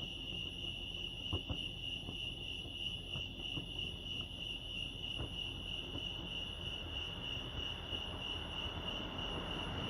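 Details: Continuous cricket chirping at Lake Arrowhead in California, a bright unbroken pulsed tone at constant pitch, while a broad hissing noise swells toward the end and low rumble stays underneath.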